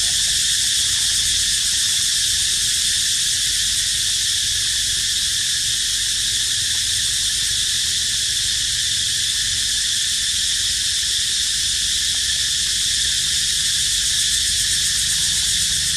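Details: Cicada chorus as a constant, shrill, high buzz. It holds one even level without pauses for the whole stretch, with only faint low rumble beneath.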